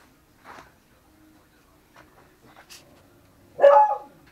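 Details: Miniature Pinscher mix giving a single short, loud bark near the end, preceded by a few faint clicks and soft thumps in a quiet indoor space.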